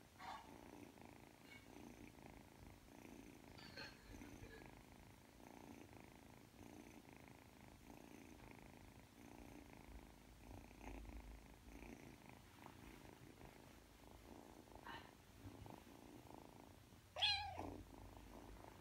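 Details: Ragdoll kitten aged three months purring while kneading toward sleep; quiet rhythmic rumble rising and falling with each breath, with a brief sharp noise near the end.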